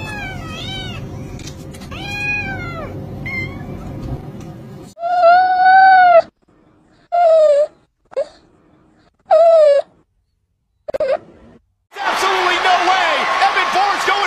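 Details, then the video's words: Playful kittens meow repeatedly: several arched, harmonic mews at first over background hum, then a run of short, clear mews separated by silences, ending in a burst of broadband noise. "Cute Kittens Meowing sound | Cute Kittens Playing"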